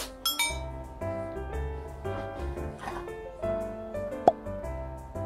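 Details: Gentle instrumental music with chiming, bell-like notes and a sharp clink near the end, and no animal sound.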